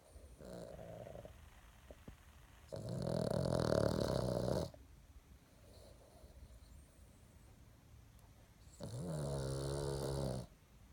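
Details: A female Boston Terrier snores in loud, rasping bursts while sleeping, each harsh inhalation lasting about two seconds.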